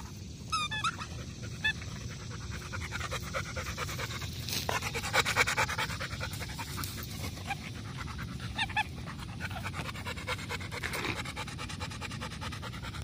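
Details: Golden Retriever panting, rapid rhythmic breathy puffs roughly twice a second, with a few brief squeaky sounds and steady low background rumble.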